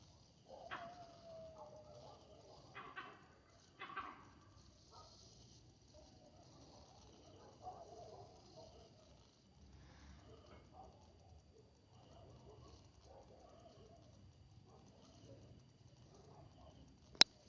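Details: Monkey disturbed at night, barking a warning: a few short, harsh barks in the first seconds, then a long stretch of faint, low rustling background and a sharp click at the very end.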